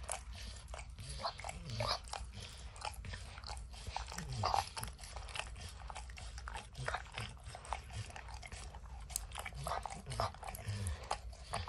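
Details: Max the dog works at peanut butter and kibble in an orange lick mat, heard up close with no voices: rapid sticky tongue clicks, a few louder crunchy bites, and a faint low drone throughout.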